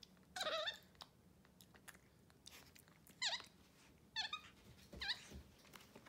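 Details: At home on a Sunday morning, pet capuchin monkeys MonkeyXander and Ohana eat oatmeal in bed; a series of four high, wavering squeaks and chirps amid rustling and chewing noises.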